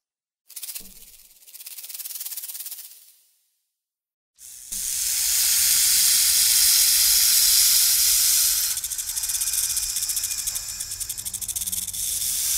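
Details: Snake hisses in two short bursts with a silent pause, then launches into a long, steady, breathy hiss lasting about eight seconds.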